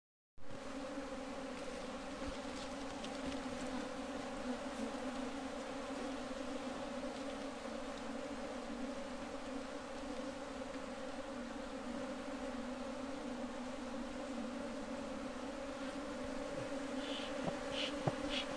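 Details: Bee colony at a bee box during beekeeping: a steady, droning hum with two strong low bands, unbroken throughout, and a few faint high ticks near the end.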